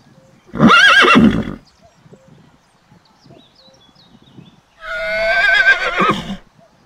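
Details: A foal (colt) gives two shrill, quavering neighs separated by a few seconds of quiet.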